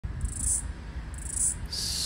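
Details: Floury baker cicada, the last one heard in Australia's summer of 2022/2023, calling near a busy street while trying to sync with another cicada: two short high buzzy pulses, then a steady buzz begins, over a low traffic rumble.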